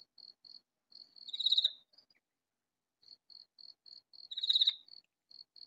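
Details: A katydid in a vegetable garden, calling loudly from a spot too well hidden to find: two strong scratchy bursts about three seconds apart, framed by faint, evenly spaced little clicks.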